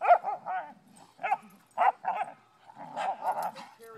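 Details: A dog barks in short bursts with whimpering tones, several spaced yaps in four seconds, then a rougher run of barks near the end; faint human voices in the background.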